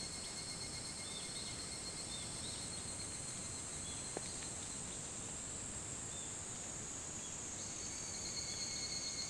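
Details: Pre-dawn evening cicada chorus, 28 July 2011 at 4:30 a.m., Hitotsubashi University campus, Kunitachi, Tokyo; sustained high metallic trilling in stacked bands, one sharp click midway, with soft chirps and a constant low rumble.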